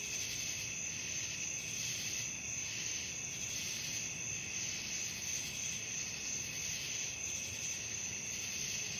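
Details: A night-time cricket chorus: steady, piercing high trills in stacked bands, gently pulsing in strength, with nothing else clearly heard.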